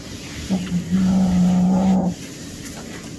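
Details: Small kitten growling in hunting play, a surprisingly deep voice for its size: two short low bursts lead into a steady, drawn-out, low-pitched growl of about a second, then quiet indoor background.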